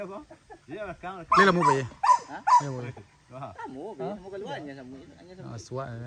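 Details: Max, a hunting dog on his first training outing with the PORBI group at Sungai Pingai, gives three loud, sharp barks in quick succession about half a second apart, surrounded by men talking.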